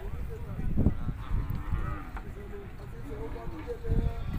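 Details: Cattle at a cow market in Shahpur Kanjran, Lahore, where calves are offered for sale: a low, drawn-out moo, then a steadier tonal lowing near the end, with a man talking throughout and market bustle.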